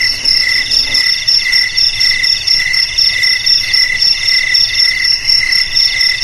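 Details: A cricket chorus of steady, high-pitched pulsed chirps, repeated roughly twice per second, with two overlapping tones. The loudness rises and dips evenly throughout.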